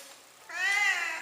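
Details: Pet cat meowing indoors: a single drawn-out meow starting about halfway through, with a rising then steady harmonic tone and a falling end, following quiet room sound; a person talks nearby before and after.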